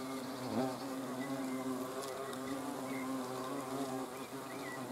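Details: Hornets in flight in front of a camera on 30 June 2020. A dense, steady low drone of overlapping wingbeats is heard, with a brief pitch dip near the start and faint high chirps behind.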